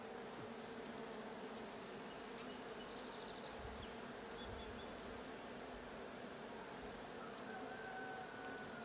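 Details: A steady drone of honey bees fills a blue hive being checked on 20 June 2022. The layered, continuous buzz is broken only by a few faint, high bird chirps in the background.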